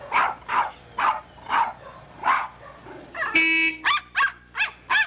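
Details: Poodle pup gives five evenly spaced sharp barks. A car horn blasts briefly, then four more quick barks follow.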